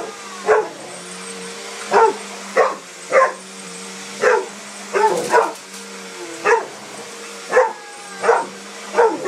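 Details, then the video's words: A Mastiff afraid of the sweeper barks steadily and repeatedly, about thirteen gruff barks roughly every half to one second, against a continuous low mechanical hum. "Mastiff scared of the sweeper"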